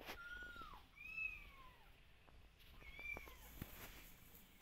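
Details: Kittens calling out to their mother as she keeps a careful distance; three drawn-out, clear meows, each sliding downward at the end, with light clicks and soft background noise.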